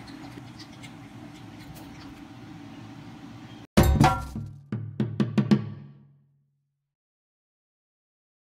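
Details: Soft background music gives way to a loud thump and a few clinking knocks, then silence.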